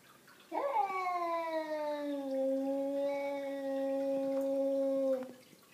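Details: Savannah cats Zumani and Malaila reacting to an unwanted visitor: after a brief wavering onset, one sustained, harmonically rich yowl holds nearly level for about five seconds, easing slightly lower before stopping abruptly, with little other sound.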